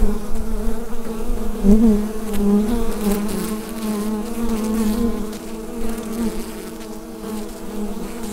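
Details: Colony humming in its hive, taken with a USB microphone: a low, slightly wobbling drone that rises in strength early, then gradually eases off, with shimmering upper overtones and occasional soft ticks.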